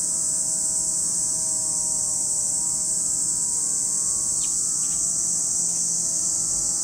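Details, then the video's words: Cicadas at Lake Kamo on Sado, Niigata Prefecture, Japan, drone in an unbroken high-pitched hiss, with a low background hum and a few quick chirps near the end. "Lake Kamo in Sado City, Niigata Prefecture, Japan, where you can hear the voice of cicadas."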